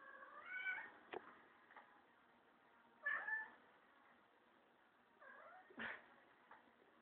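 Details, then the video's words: Kurilian Bobtail cat defending his friend, a teddy bear, from a broom; several short wavering meow-like cries with harmonics, interspersed with sharp clicks or knocks, each cry about a second long with pauses between. "Cute Kurilian Bobtail cat defending his friend Teddy bear from broom"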